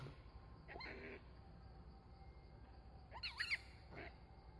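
A monkey gives short, high, wavering squeals in a few separate bursts over steady background rumble.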